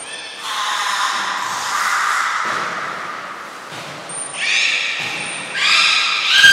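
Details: Aquarium belugas Gray, Nana and Mirai at a training session in Nagoya, 6 August 2023; a drawn-out, nasal, many-toned squeal, a pause, then a high whistle followed by several sharp rising chirps.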